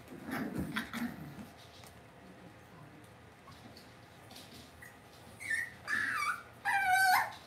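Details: Cavalier King Charles Spaniel puppies in an indoor home puppy pen: low muffled rustling early on, then three loud, high, wavering harmonic whines near the end, each about half a second long and rising then falling.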